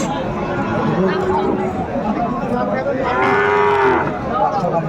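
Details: Sahiwal bull calf at a Chattogram cattle market, Bangladesh, 14 January 2025: one steady, sustained moo lasting nearly a second rises out of dense crowd noise and men's haggling voices.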